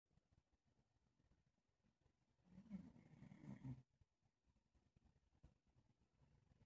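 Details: A male English Bulldog falling asleep with his chin resting on a person's leg lets out one soft, low, rattling snore about a second long in a nearly silent room with faint breathing.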